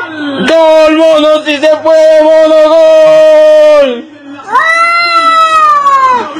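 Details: Domestic cat meowing loudly: a long, level, nasal meow held for over three seconds that drops at the end, then a shorter meow that rises and falls.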